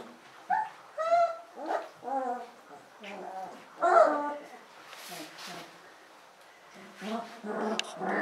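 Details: Alaskan Malamute puppies from a litter whine and whimper in short rising and falling tonal cries, some in quick bursts, with soft murmuring in the background.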